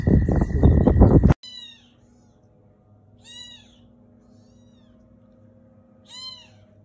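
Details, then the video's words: Domestic cat meowing: after a loud burst of noise at the start, two short, arched, clear meows come about three seconds apart over a quiet background. "Cat Meowing Sound Video Collection-Cute Cat Meowing Sound"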